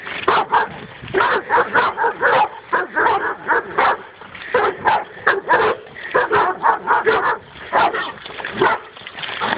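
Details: Dog on its first encounter with a wild boar, barking steadily and hard, roughly two to three loud harsh barks per second without pause.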